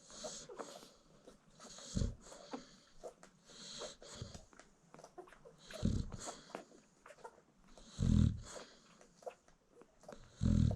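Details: Sleeping American Bully mom nursing newborn puppies at a kennel gives low, throaty snores roughly every two seconds, some doubled, while quiet squeaks and shuffling from the feeding litter fill the gaps.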